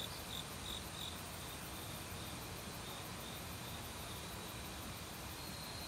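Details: Autumn crickets singing in a forest together with many other insects, a fast, steady high-pitched pulsing with a few brief brighter chirps early on, over the constant broad rush of a valley stream.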